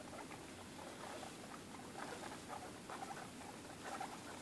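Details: Two-and-a-half-week-old guinea pigs at dinner, giving dense crackly patter of nibbling and shuffling, with brief faint higher squeaky notes in the later seconds.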